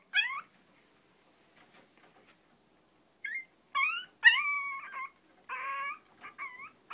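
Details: Whining from the two long-coat chihuahuas Choco and Maron at home: a few drawn-out, wavering high whines, one held nearly a second, separated by quiet pauses.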